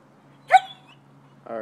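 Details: Vizsla chasing a laser pointer in a California backyard at dusk: one short, sharp yelp that sweeps upward in pitch, followed by a moment of quiet and then a person's voice starting to speak.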